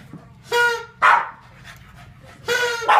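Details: A Boston Terrier named Dobbs gives short, harmonic barks and yelps in quick bursts.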